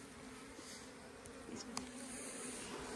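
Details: Honey bees hum around a village hive in Nepal as a woman lifts out honeycomb to show it; an even, droning buzz with stacked tonal bands, brief clicks and a sharp knock from handling.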